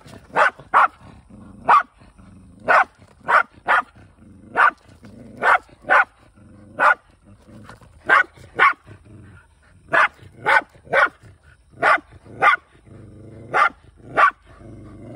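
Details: Shiba Inu on a hunt, kept in a rural multi-dog household, giving sharp, bright barks in quick bursts, about eighteen over fifteen seconds, often in pairs, with a low whining drone between them.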